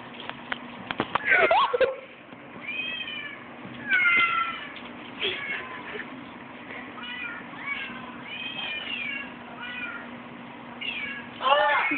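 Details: Domestic cat making noises that confuse a dog, recorded on a phone; a series of short, arching, whiny meows every second or two, one harsher squall near the start and another at the end, with a faint hum and a person speaking.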